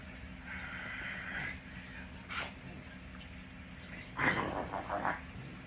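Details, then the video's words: Athena, a rescue puppy, sneezing while playing with her owner; a sharp broadband burst around the middle, then a louder noisy snort-like outburst with breathy follow-ups, a person saying "bless you" nearby. "Puppy Sneezes In Her Dad’s Face"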